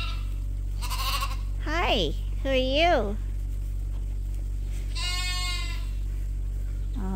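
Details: Lambs at Ewetopia Farms, still with their mothers but topped up by bottle twice a day, bleating: a few wavering, strongly harmonic bleats near the start and a longer nasal bleat midway, with a person talking throughout.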